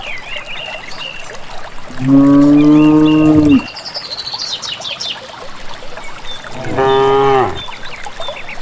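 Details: Village cattle moving calmly together toward a green valley pasture: a long, steady, deep moo followed after a pause by a shorter, falling moo, with twittering birds audible between the calls.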